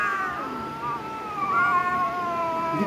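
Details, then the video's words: Cat in a fight letting out one continuous, tense yowl that wavers and bends in pitch for nearly three seconds, with people calling out close by. "cat fighting video"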